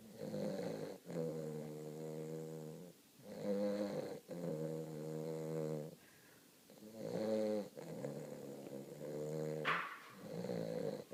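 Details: Cody the Weimaraner puppy, new to the household, snores while deep in a nap. Steady buzzing inhalations repeat every one to two seconds, some rising slightly at the end, with a soft click near the close.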